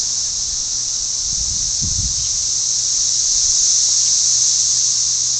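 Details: Millions of cicadas fill the air with a loud, steady, high-pitched hiss while calling for mates, mistaken at first for wind through leaves; a low thump is heard partway through.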